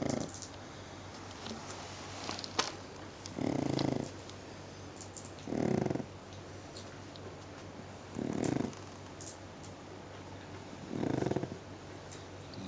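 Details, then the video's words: Indoors, the sleeping pug Spotty lets out loud, hoarse snores, five breathy rasps of roughly half a second each, spaced two to three seconds apart over a steady low hum. "Lazy Pug is Snoring LOUDLY!!!"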